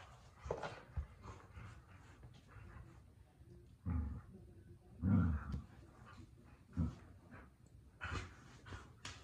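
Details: Miniature Australian Shepherd during tug of war with a birthday-present toy, giving low rumbling growls in several short bursts a second or two apart, the strongest in the middle, over soft scuffling.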